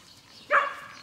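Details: A single short, high-pitched yip from one of the ten-week-old Collie puppies of the X litter, Prignitzerflur kennel, playing in a large outdoor run. Quiet background before and after.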